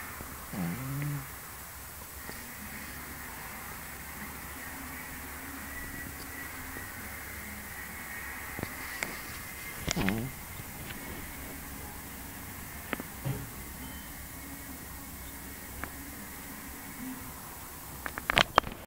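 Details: Pekingese dog snoring: long, low, rasping breaths drawn out over several seconds each, separated by quieter pauses, over a faint steady background hum, with a few sharp clicks and knocks near the end.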